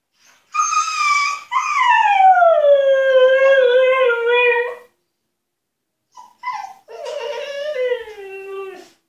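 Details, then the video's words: Husky dog kept in an enclosure as punishment, demanding to be let out: long harmonic howls starting high and sliding down, then after a short pause a broken yelp leading into another falling, wavering howl. "Хаски требует свободы"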